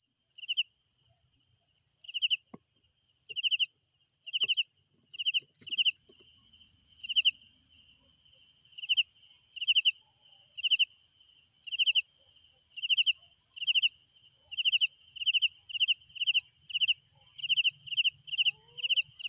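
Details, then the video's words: Night crickets chirping in short pulsed bursts, irregularly spaced and sometimes doubled, over a constant shrill high-pitched insect hiss, with a few faint low rustles. "Sounds of Night Crickets"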